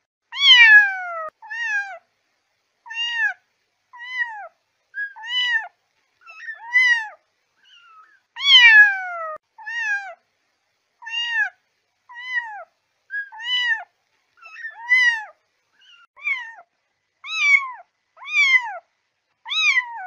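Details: Kitten calling to attract cats, repeated mews, some loud and some softer, each a short rising-then-falling cry, coming about once a second with brief silences between.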